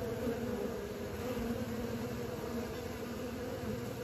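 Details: Honey bees learning to fly give a steady, dense humming buzz with low droning bands that holds evenly for the whole four seconds, with no other clear sounds.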